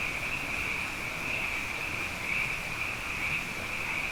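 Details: Night chorus of plentiful frogs following two successive wet years; a continuous, high-pitched buzzing trill from many callers overlaps into one seamless band, with slight pulsing in intensity.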